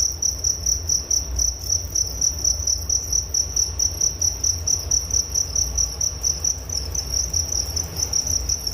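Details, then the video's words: Soothing cricket sounds for falling asleep, with a high thin chirp in evenly spaced pulses that runs throughout, backed by a faint low hum. "Relaksasi Suara Jangkrik Penghantar tidur || Nature Sound of Crickets"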